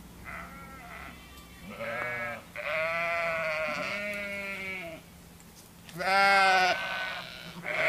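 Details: Sheep giving a series of quavering bleats, each lasting about a second, one low and nasal, the loudest near the end, separated by brief quiet gaps.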